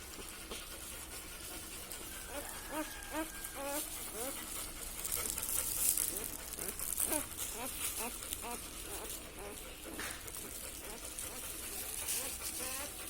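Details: Newborn Labrador Retriever puppies, part of a litter of four born to Saira, giving faint, rapid squeaky whimpers in short arched bursts over a steady hiss, with voices and rustling in the room.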